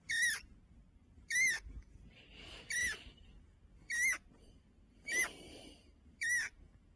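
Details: Pet fancy rat tucked under a blanket in Heilongjiang, China, on November 16, 2025, squeaking each time its owner lifts the covers, as if refusing to leave. Seven short, bright squeaks with a wavering tone, spaced about a second apart, in a quiet room.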